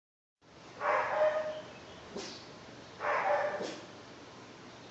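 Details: Two-month-old German Shepherd mix puppy named Bunk trying out his first barks: two soft, breathy mid-pitched woofs about two seconds apart, with faint clicks between them in a quiet room.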